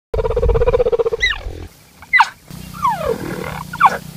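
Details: A cheetah (Acinonyx jubatus) gives a rapid, throbbing churr, then several high, bird-like chirps that slide sharply downward.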